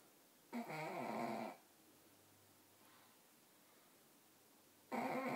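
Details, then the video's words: Pugs snoring while asleep indoors: one rasping, buzzy snore of about a second with a rich layered tone, a long quiet pause, then a second snore starting near the end. "Snoring pugs"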